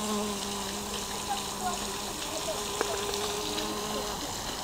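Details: Bees working inside a lotus flower, weaving a slalom between the stamens. A low, steady buzzing hum carries through the whole clip beneath a hiss of background noise, with one brief click.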